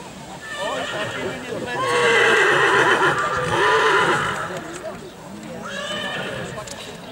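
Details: Silesian stallion standing before a breeding commission gives a long, loud, wavering whinny lasting several seconds, followed by a fainter second neigh, hooves and voices faintly behind.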